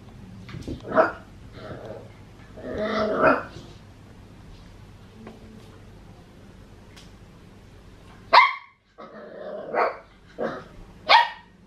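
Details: Male Papillon puppy aged fourteen and a half weeks tries to get a Maine Coon cat to play, giving scattered high yaps and grumbling growls, a few rapid barks near the end after a quiet stretch.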